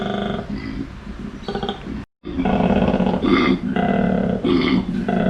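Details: Koala at Wildlife Habitat Port Douglas near Cairns, Australia; deep snoring, pig-like bellows in rough pulsed bursts with grunting inhalations between, broken by a short silence midway.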